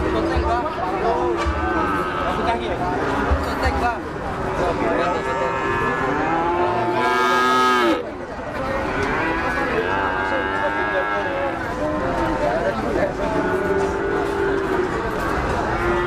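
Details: Many cattle mooing together at a livestock market where an eight-month-old Limousin is offered; overlapping drawn-out, harmonic moos, some rising and falling, follow one another nearly continuously, with a brief loud bellow near the middle and crowd noise beneath.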